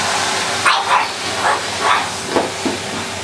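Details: Polly, a pug, barks at a Henry vacuum cleaner. About six short, sharp, high yaps come roughly every half second over the steady, loud hiss of the running hoover.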